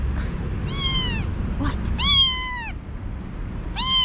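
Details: Kittens meowing in a kitten cage, newly arrived after veterinary treatment: three clear, bright meows, each sliding slightly downward, the middle one loudest and longest, over low background rumble.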